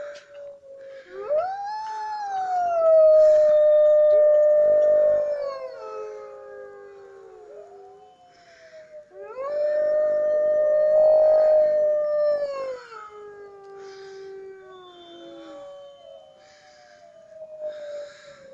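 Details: Wolves howling at a zoo in Lincoln. Two long chorus howls swell and fade, each holding a steady tone before gliding downward, with other wolves weaving rising and falling howls around them. A quieter, falling howl closes the sequence.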